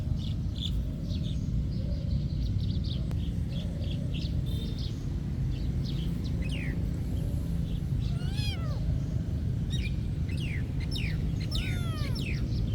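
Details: Cats at a monastery: several rising-falling meows in the second half, one after another, over a steady low rumble, with faint high chirps early on.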